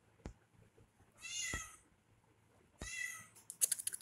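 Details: Playful kitten indoors with a human: two drawn-out, high-pitched meows about a second and a half apart, followed by a burst of rapid scratching clicks.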